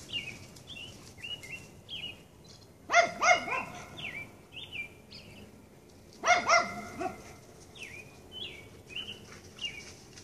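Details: A red fox being chased on a Sunday evening gives two brief clusters of hoarse, ringing yelps about three seconds apart, each of two or three quick barks, while small birds chirp and trill steadily in the background.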